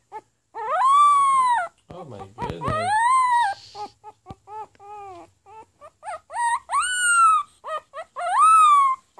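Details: Pomeranian puppy trying to bark, giving long tonal howl-like yelps that rise then fall, repeated with short choppy yips between them, singing-like; a person's voice briefly heard.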